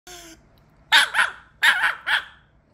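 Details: Female Pomeranian, angry, barking indoors: two quick bursts of doubled, high, sharp yaps with a short whine-like sound before them.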